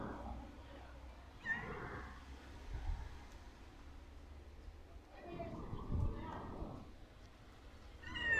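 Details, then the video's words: A domestic cat walking around the person a lot, giving short nasal meows near the start, middle and end, with low rumbling background noise between calls. "This cute pussy is walking around me a lot."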